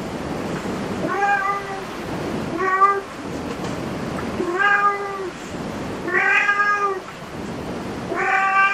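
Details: Five evenly spaced meows from a cat in a cat cafe, each a short level tone with a bright harmonic stack, separated by about one and a half seconds of quiet indoor background.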